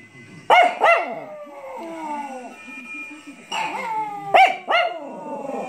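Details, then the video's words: A Chihuahua howls on hearing bells, sharp yaps stretching into thin, wavering howls sliding downward. "Chihuahua PIPO aullando. Perrito pequeño."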